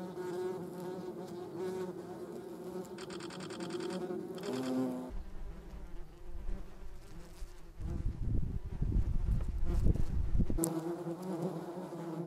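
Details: German wasps (yellow jackets) humming with a deep, steady, harmonic buzz. Later comes a stretch of rough low rumbling noise, and then the buzz returns.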